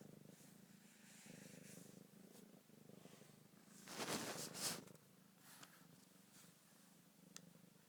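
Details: Domestic cat mother with her week-old kittens, rubbing against the phone: a steady, low, rumbling purr runs unbroken throughout, with one brief loud rustle of fur against the phone midway.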